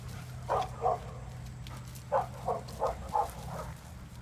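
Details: Short, fairly soft dog barks: a pair, a gap, then a run of five quick yaps in close succession against a low droning hum.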